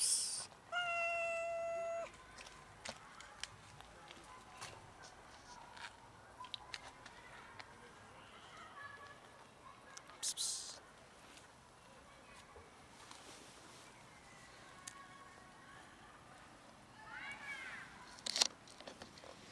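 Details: Cats of a large colony living around a dumpster and feeding there; a loud drawn-out meow opens, followed by several softer scattered meows and a final rising cry, with clicks and clatter between.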